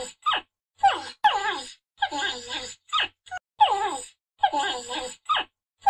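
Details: Porcupine, an Old World hystricid rodent, uttering repeated groaning, whimpering cries, each burst sliding downward in pitch and broken by short pauses, with no other sounds.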